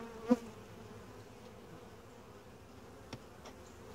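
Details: Honey bees of a gentle colony humming during a hive inspection; an even, low steady drone, with a single louder buzz of a passing bee early on and faint clicks.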